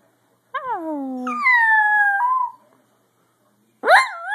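A Dachshund howls in drawn-out, tonal wails that slide downward, then hold steady before a final rising cry.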